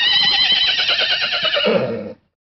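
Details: Horse at sunset lets out one loud, high, quavering whinny lasting about two seconds, wavering rapidly and dropping lower and rougher at the end before stopping abruptly.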